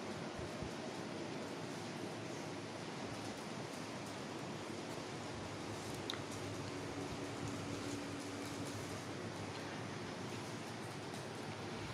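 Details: Quiet, even hiss like a fan or air conditioner in a small room, with faint rustling and no clear voices.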